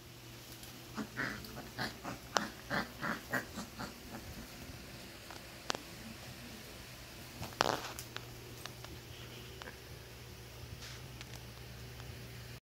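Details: Four-week-old Basset Hound pups, heard indoors: a quick run of short, high, squeaky whimpers and yelps bunched in the first four seconds, then a few scattered squeaks, over a steady low electrical hum.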